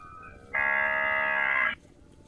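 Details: A single loud, sustained moo of a grazing cow, even in pitch and rich in harmonics, holding for just over a second before stopping abruptly against a quiet background.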